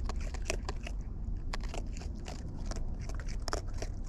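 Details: Wild raccoons feeding at close range give dense, rapid crunching and biting clicks, several per second, above a strong low-frequency rumble.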